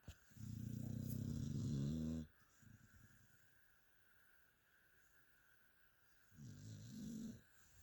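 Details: Sleeping pet dog snoring indoors: a loud, rasping, buzzy snore lasting about two seconds, then a quiet pause with soft breaths, then a second, shorter rasping snore near the end.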